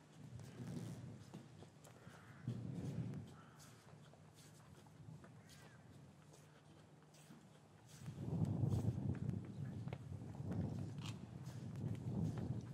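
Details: Cattle lowing in a traditional English cattle yard on a winter's afternoon, calves separated from their mothers; low rumbling moos swell twice early, then a longer, louder stretch of deep lowing from eight seconds on, with shuffling and yard noise beneath.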